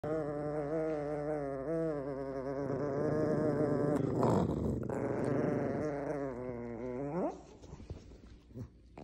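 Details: Maltese puppy gives a long, wavering, harmonic growl-whine lasting about seven seconds, briefly dipping and then rising sharply before breaking off into quiet snuffles and faint rustling.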